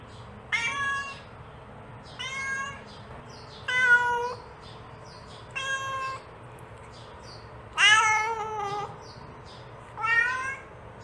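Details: A mother cat calls for her kittens with six spaced, drawn-out meows, some bending downward in pitch, one louder and longer near the end; a low background hum runs throughout.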